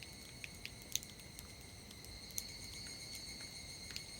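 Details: On a summer evening after a sudden rain shower, higurashi cicadas keep up a continuous piercing high whine, punctuated by scattered crisp ticks and snaps, with a low steady hiss underneath.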